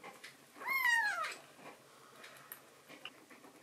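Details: Foster rescue kitten with black-and-white hachiware markings, indoors at night, meowing to its mother after drinking milk; one clear, loud, downward-sliding mew lasting about half a second, then quiet room noise with faint rustles.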